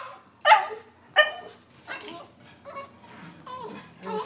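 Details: Sheltie, Collie and French Bulldog reacting to a squirrel on a rainy March day; two loud barks, then softer yips and whimpers while a person encourages them.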